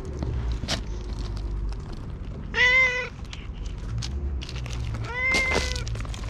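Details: Stray cat at a shrine, very vocal while being stroked and tapped, GoPro-recorded: two clear, nasal meows a few seconds apart amid rustling, clicks and low background hum.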